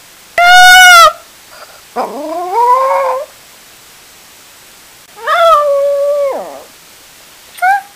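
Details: Two pet dogs left at home while their owner goes to the store, howling: four drawn-out, wavering, harmonic howls rising then sliding down, the last one short and faint, in a quiet room.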